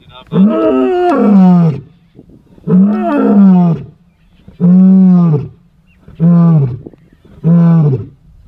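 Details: Roars of the Ndzhenga male lions in dry bushveld, a display of dominance and strength: five long, deep, drawn-out roars, each lasting about a second and a half, spaced roughly every two seconds, with rich low harmonics.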